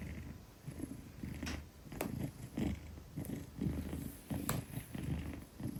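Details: Purring of a 10-kilogram Maine Coon cradled trustingly in a woman's arms: a deep, pulsing rumble swelling and fading in regular breaths roughly every half second, with occasional sharp clicks from handling.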